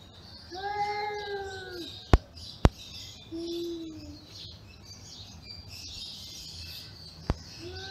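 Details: Angry cats growling at each other, one drawn-out arching yowl followed by a brief low moan, with sharp clicks and soft background noise.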